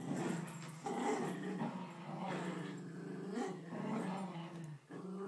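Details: Poodles Bailey and Chloe tussle over a grandmother's blanket, a steady deep rumbling growl running throughout with throaty rises and falls and a few snarling bursts.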